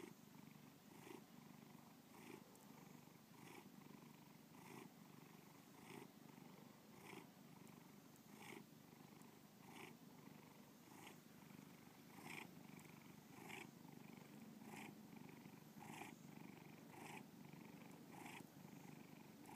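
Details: Bubba the house cat purring at length, a deep continuous rumble with rhythmic breath accents recurring near every second across twenty seconds, even and unbroken throughout.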